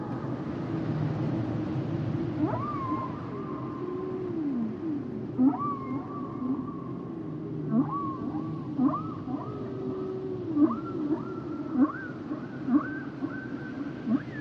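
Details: Humpback whale song: low moaning tones under repeated short upswept whistles that rise and level off, returning about every second or two, over a steady hiss of background noise.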